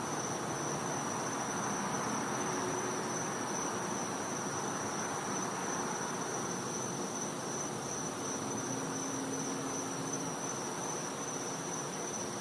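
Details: Cicada calling at night in winter in the back yard of a Florida home: a steady, unbroken high-pitched whine holds at one pitch throughout, over a constant hiss of ambient night noise.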